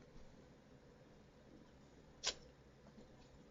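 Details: Four-month-old mini Dachshund puppy with a bout of sneezes, indoors: one sharp, sudden sneeze bursts out mid-clip as a short hissing blast, with quiet room hum before and after.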